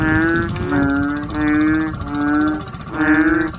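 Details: Asian painted bullfrogs, several noisy frogs: five drawn-out, nasal, harmonic bellowing calls, each about half a second long, follow one another almost without pause, with some calls overlapping.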